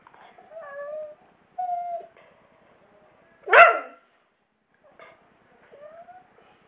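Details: Kobi, a 16-year-old senior Husky, puts on his nightly show right before dinner: drawn-out tonal whines that slide up and down, one loud sharp bark near the middle, then a few softer rising whines.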